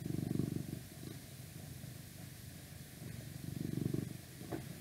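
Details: Deep, vibrating purr of a male domestic cat recorded close, building into strong bursts about three seconds apart with softer rumbling in between, over steady background hiss.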